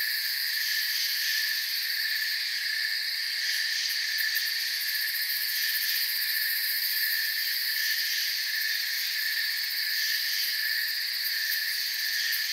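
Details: Forest crickets at night making a constant shrill ringing, several overlapping high tones droning evenly throughout with slight flickering pulses high up; nothing else stands out.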